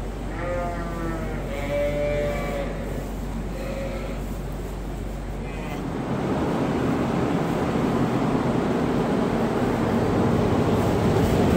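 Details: Sheep on a registered Suffolk and Poll Dorset farm: four short, harmonic bleats in the first five seconds, followed by a steady rushing, engine-like noise.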